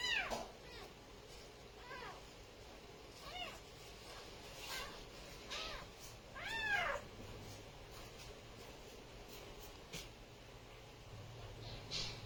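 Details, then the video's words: Kittens and cats meowing: a few high, rising-falling mews, clearest at the start and near the middle, mixed with soft thumps and low background noise from the room. "kittens meowing"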